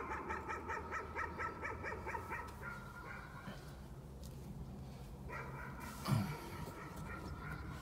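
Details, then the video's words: Nuisance barking from a dog, heard at a distance as a fast run of sharp repeated barks for about three seconds, a pause, then another run of barks over a low background rumble. "Nuisance barking again."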